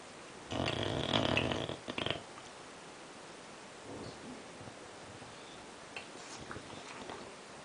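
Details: Scofield, an English Bulldog, snores with a loud rough rasping breath lasting over a second, followed by a shorter snort, then quiet breathing with faint small noises in a room.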